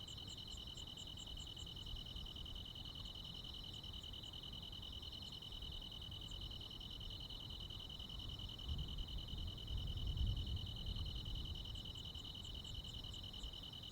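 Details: Countryside crickets singing on a summer night in Korea; a continuous shrill trill runs steadily with no pauses, joined by short bursts of quick, very high ticking at the start and end, over low background rumble.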